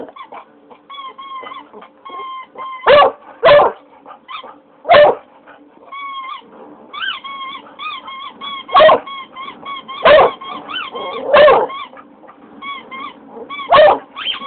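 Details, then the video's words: Howling from a pet English Cocker Spaniel reacting to a child's squeaky toy: strings of thin, quavering tonal notes run throughout, punctuated by about eight loud, abrupt bursts at uneven intervals. "english cocker howling"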